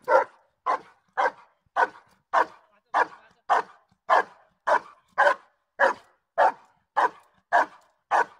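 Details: During a protection work session on 5 January 2019, Giant Schnauzer Blackmoore Uno gives a long, steady run of about fourteen forceful barks, evenly spaced at just over half-second intervals, with no other sounds.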